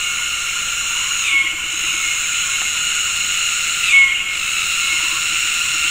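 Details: Cicadas in an afternoon tropical forest, Gunung Ledang Nature Reserve, West Malaysia, calling together in synchronized mating calls: high continuous buzzing with two brief dips and surges, plus a couple of short bird whistles.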